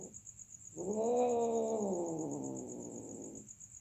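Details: A single long caterwaul from cats mating: the moaning wail swells quickly, holds a rich harmonic tone that sags gradually lower, and fades after nearly three seconds over a faint high whine.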